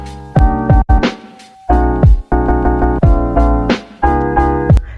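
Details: Electronic keyboard music plays throughout, with dense sustained chords, deep bass and sharp percussive strikes. No animal voice can be picked out.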